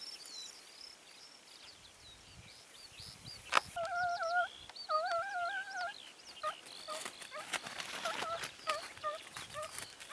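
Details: Segugio Italiano hounds baying on a hare hunt near Sofiko, Evros, on 29 May 2019. Distant, harmonic, wavering bays come in overlapping bursts after a sharp knock, with several voices layered over faint background noise outdoors.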